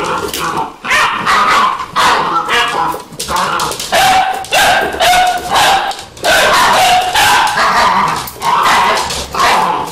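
Vizsla puppies yip and bark in rapid, overlapping bursts, with high squeaky notes among them.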